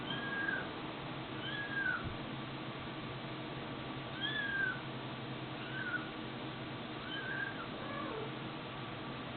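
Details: Kittens and cats mewing in a loose run of short curved cries roughly every second or two, some with a faint higher overtone, above a continuous low hiss.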